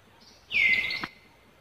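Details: A monkey cries out in Cambodia, where Angela sees another monkey near Lucie: one loud, tonal, high call lasting about half a second, dropping sharply in pitch and then holding level, over quiet background noise.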